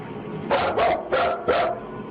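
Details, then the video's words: Nervous grown dog inside a room, keeping its distance and retreating towards the door; four quick barks in two pairs over about a second and a half, fairly loud against low background hum. "Listen, when your full-grown dog is barking nervously and actually backing towards the door to get away, it's time to get the heck out of that room yourself."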